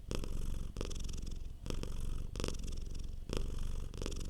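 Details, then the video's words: Soft purring of a relaxed domestic cat, low vibrating rumble broken into breath cycles, brighter bursts about every 0.8 seconds over a quiet indoor background. "Purring Cat sound for Relaxation. Cute Cat Purr."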